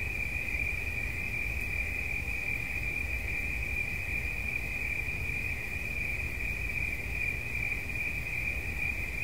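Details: A continuous shrill cricket trill, constant in pitch and loudness from start to finish, with a faint low hum underneath.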